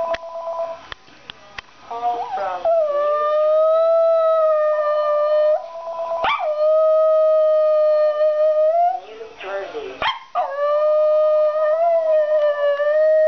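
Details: Molly, a Cairn Terrier, lets out long, steady, wavering howls, each held for several seconds, in reaction to the voice of a talking phone she hates.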